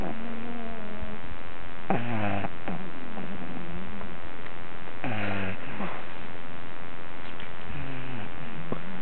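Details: Dog named Luke asleep and snoring like a little piglet; a soft wheeze, then two strong grunting snores about three seconds apart and a fainter third one near the end, each rough and nasal.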